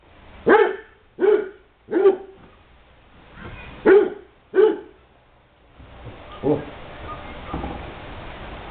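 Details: A Basset Hound gives a run of deep, loud barks in quick bursts, then quieter ones, while playing at a kennel.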